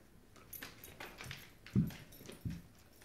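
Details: Dogs tussling over a rope toy in a small room; two short, low, throaty growls near the end, with light rattling and clicking of the struggle beforehand.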